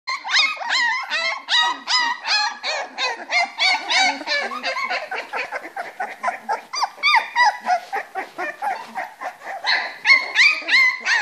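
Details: Three-week-old Springer Spaniel puppies playing together in their whelping box, a busy overlapping chorus of high squeaky yelps and whines, several rapid calls each second with upward and downward pitch bends.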